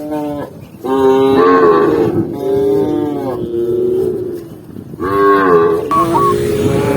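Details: Herded tame cattle run joyfully down a lush green hill in rural countryside, giving a chorus of loud, sustained, harmonic moos that overlap one another, with brief pauses between bursts of lowing.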